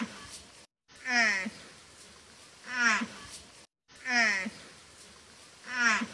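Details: Water buffalo (Bubalus bubalis), contact call: mother calling for her calf.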